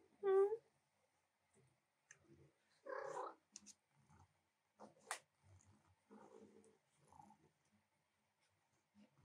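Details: Female house cat demanding attention while work at the keyboard waits: one loud, clear, tonal meow at the start, followed by softer chirping vocal bursts and scattered light taps and clicks in a small room.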